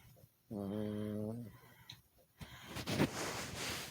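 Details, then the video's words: Sleeping Chihuahua snoring: a steady, low, droning nasal tone held for about a second, followed by a breathy, rushing exhale with a brief rising squeak in the middle. "Chihuahua snoring"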